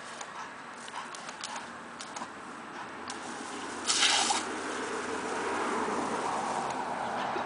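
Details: Water squishing, dripping and splashing in a small room, with a brief louder splash midway and no animal voice.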